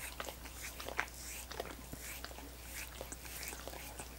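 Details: Dogs lapping at coconut water popsicles, slower wet smacks and separate tongue clicks with small pauses, a couple of sharper crunchy snaps, a faint steady low hum beneath.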